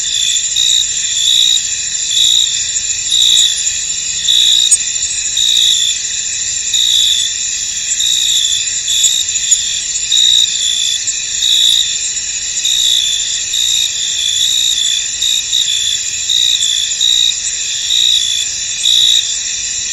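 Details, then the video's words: Cricket chorus in a fog-covered field, a continuous shrill ringing with loose, uneven pulses of brighter chirps, roughly one a second, and no other animals or people. "Tranquil Cricket Sounds In An Misty Field"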